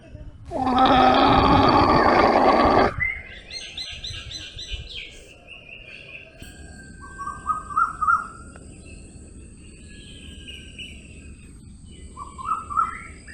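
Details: Domesticated llama giving a single strong, buzzy, harmonic-rich cry lasting over two seconds, followed by quieter chirping and short trilled bird phrases against a faint outdoor hiss.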